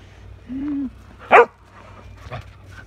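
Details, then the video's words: Shetland sheepdog, a pet, barking while playing with a shovel, recorded 30 January 2022: a low steady whine-like tone, then one sharp, loud bark, followed by a softer, shorter bark about a second later, over a quiet background hum. "Sheltie barking at Shovel"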